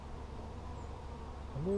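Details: Honey bees during a hive check on 17 July 2020, a steady low droning hum filling the clip beneath faint noise, with a man's voice starting at the very end.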